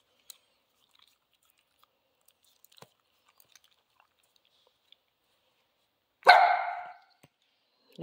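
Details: A female Central Asian Shepherd in leash training to leave cheese alone gives a single short, loud bark after a long quiet spell broken by faint clicks and taps.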